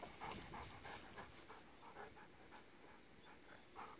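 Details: Golden retrievers on a walk in a rice paddy with regrowing stubble after harvest, October 8; rapid rhythmic huffing pants, about three per second, breathy and steady over a rustling background.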